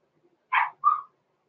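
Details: Six-week-old blenheim Cavalier King Charles Spaniel puppies, Roman and Blue, born November 14, 2022, in an indoor puppy pen: two quick high yipping barks, the first broader and sharper, the second a thinner, steadier yelp, in an otherwise quiet room.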